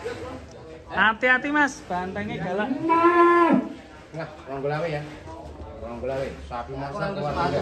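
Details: A large sacrificial bull kept in a pen in Indonesia gives a long drawn, rising then falling moo lasting about a second, amid people talking and calling out nearby.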